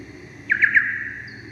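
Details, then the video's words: Soprano pipistrelle echolocation, slowed down from ultrasonic frequencies: sonar blips used while hunting insects. Three short, downward-sweeping chirps follow in quick succession over a steady low hum. "and that is a pipistrelle bat. It's a soprano pipistrelle, and they're very high frequency, way above what we can"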